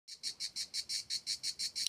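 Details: Cicadas singing while a small tortoise takes a walk; high, harsh buzzing pulses repeated steadily about five or six times per second, with nothing else clearly heard.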